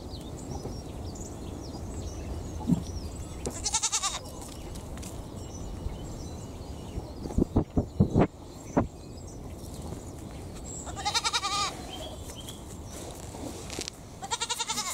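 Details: Two young Pygmy goats, only a few months old with tiny horns, give short, wavering bleats with a quavering, nasal tone over a low background rumble while resting and bonding.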